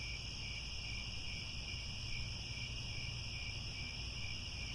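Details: Crickets chirping at sunset around Angkor Wat, Cambodia, in grassland: an even, piercing multi-layered trill without pauses, set against a soft low-frequency rumble.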